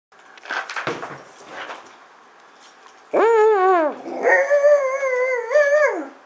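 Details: A half husky, half "wolf" mix that loves fetch gives two loud, wavering howls that rise and dip, demanding its ball be thrown again without putting the ball down.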